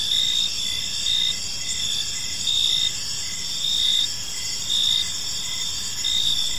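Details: Crickets chirping in a peaceful park as evening unfolds: a dense, steady high-pitched ringing chorus with louder pulsed bursts swelling roughly every second and a half, over faint low background rumble.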